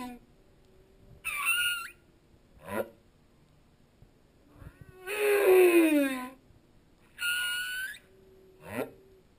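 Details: Humpback whale singing underwater. High squealing notes alternate with rapid rising chirps and a drawn-out harmonic moan that drops in pitch, in a cycle of units several seconds apart.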